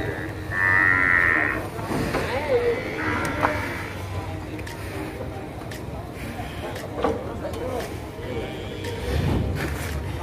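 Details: An agitated cow at the Masbagik livestock market on Lombok, NTB, Indonesia, lets out one loud, high, strained moo early on, followed by fainter lowing amid market noise, voices and background bustle.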